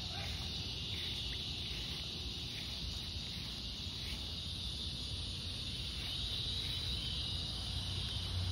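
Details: Cicadas give a steady, high buzzing drone over low rumbling background noise in fading light on an August 4th summer evening.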